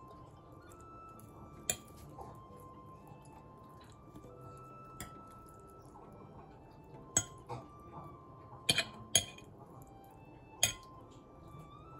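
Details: Quiet music plays under clinking dishes, pots and cutlery in a kitchen, with sharp metallic taps and no animal sound.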